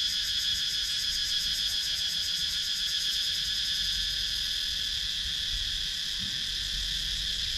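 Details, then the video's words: Cicadas calling in wooded countryside of Sakon Nakhon, Thailand, GoPro Hero 9 recording: continuous piercing electric hum with a rapid shimmering pulse on top, holding steady throughout, little else audible. "Cicadas Sound"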